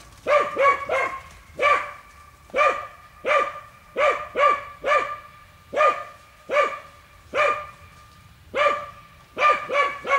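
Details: Hunting dogs working wild boar in a boar training enclosure bark in sharp, repeated bursts, often in quick doubles and triples.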